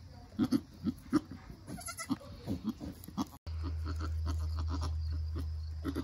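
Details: Around the birth of a Nigerian Dwarf goat doeling: the mother gives a rapid string of low, soft grunting bleats, about one or two per second. A loud steady hum takes over in the second half.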